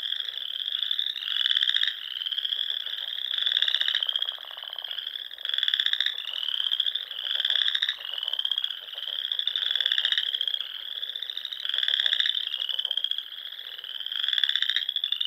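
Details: Chorus of frogs at a Sandhills pond in Nebraska, spring evening: a constant high ringing trill overlaid by regular louder pulsing trills, about one every second and a half, many voices together.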